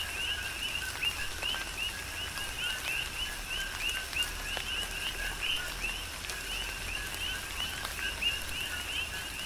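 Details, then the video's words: Chorus of coqui frogs in tropical rain, Big Island, Hawaii. Sharp upward-sweeping high chirps, each paired with a lower note, repeat several times a second across the clip over a steady wash of rainfall. "Tropical Rain & Coqui"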